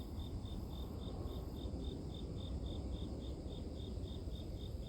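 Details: Grass insects chirp in a regular train of brief, high, bright pulses, around three per second, while a thick low background rumble fills the lower range; offered as white noise for sleep.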